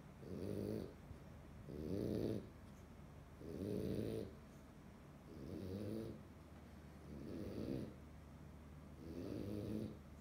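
A French Bulldog snores in low, rumbling bursts, roughly one every two seconds.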